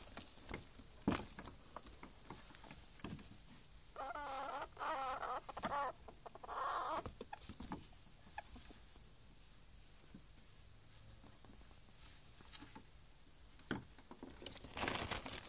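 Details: Two ferrets, a larger female and a baby male, playing together indoors; a run of soft, rapid chuckling dook clucks over about three seconds mid-clip, surrounded by crinkling and scrabbling rustles of their tussle.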